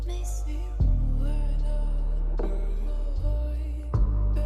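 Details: Soft, sustained instrumental music with low held tones and no animal voices. Gentle chord changes mark the passage, and no calls or other natural sounds come through.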